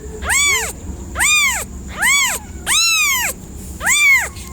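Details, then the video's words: Cat producing five evenly spaced, strong meows, each a clear rising-and-falling wail lasting about half a second, with near silence between calls. "FUNNY CAT SOUNDS"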